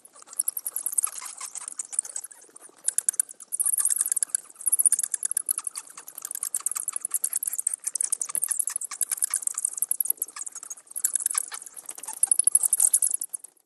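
Bats chatter in dense bursts of high, dry, rapid clicks and squeaks.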